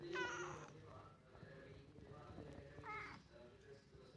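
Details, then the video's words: A hungry domestic cat begs for more food indoors, giving a drawn-out harmonic meow at the start and a shorter one near the three-second mark, with a woman talking to it throughout. "Reaksi kucing lapar nak makan lagi"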